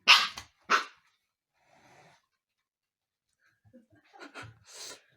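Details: A husky puppy named Umka, indoors and not letting the cats relax, gives two loud, abrupt barks in quick succession, then softer huffs and a final bark after a quiet pause.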